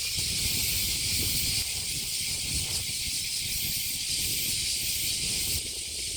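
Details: Summer cicadas at Kasai Rinkai Park in Tokyo, Japan. A constant shrill buzz with gentle surges in volume, over a low rumble.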